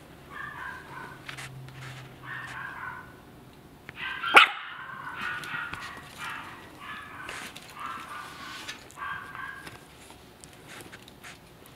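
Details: Maltese puppy unable to climb out of a basket, giving soft high whimpers and yips in short bursts, with a sharp clatter midway and faint background noise.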